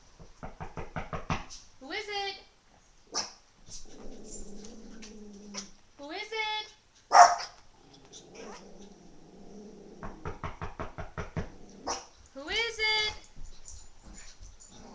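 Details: Household dogs, including a boxer and a Jack Russell, react to a knock at the door with bursts of rapid barking and high, rising whining yelps, while a woman repeatedly asks who is out there.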